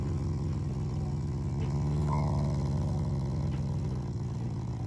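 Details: A pet Shiba Inu that is not angry growls affectionately at its family, giving one continuous, steady, low throaty rumble that runs unbroken through the whole stretch.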